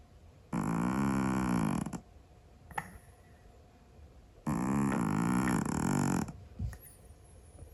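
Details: Scottish Fold cat asleep and snoring noisily, two long grating breaths of about one and a half seconds, separated by quiet gaps with a faint click or two.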